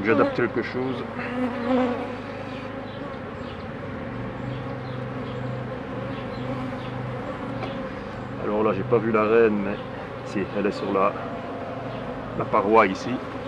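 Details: Beekeeper working the hives amid a constant honey bee drone, a low layered hum holding steady, broken by several stretches of a man speaking and some rustling.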